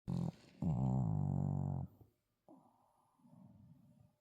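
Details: Sebin, a tired pet Shih Tzu, snoring indoors: a loud, deep, rattling snore that swells and holds for over a second, then softer wheezy breaths follow.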